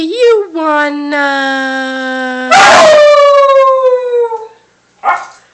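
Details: Lily, a puppy, howls along as someone drawls questions at her: a long steady tone, then a rougher burst sliding into a high, slowly falling howl, ending with a short sharp yelp.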